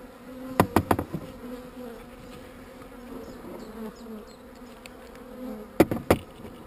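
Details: Honey bees hum steadily around an opened hive during queen cell removal. A low two-toned drone runs the whole time, broken by sharp bursts of tapping near the start and again near the end.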